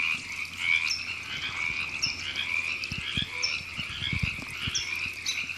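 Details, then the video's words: Frogs calling in April 2017 at Temescal Canyon Park, Los Angeles, California: a dense, steady chorus of overlapping pulsed croaks, with brief higher chirps every second or so and a few soft low thumps underneath. "Frogs Ribbits"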